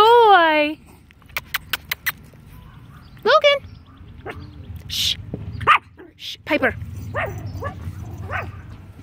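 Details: Yorkshire Terriers at a Michigan teacup Yorkie breeder, several dogs named Logan, Piper and Maddie; a high rising whiny yelp opens, followed by scattered short yips and barks, with a woman calling the dogs by name and praising them throughout.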